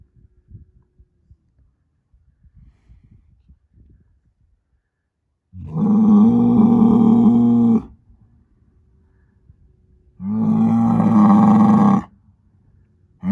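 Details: Angus herd sire bull, son of SAV Harvestor 0338, born spring 2018: two long, loud, steady droning bellows of about two seconds each, following quiet shuffling and scraping sounds.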